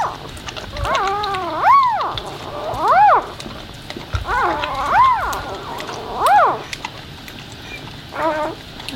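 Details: Whining of a newborn Labrador puppy during its mother's birth, seeking her and nursing: a series of arched, rising-then-falling squeals spaced about a second apart, some doubled, over soft indoor background hiss.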